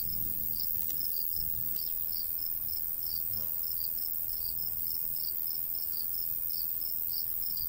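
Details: Rapid, high cricket chirps, with a second caller overlapping at times, pulse steadily across a golden wheat field in summer; a faint breeze hums low beneath them.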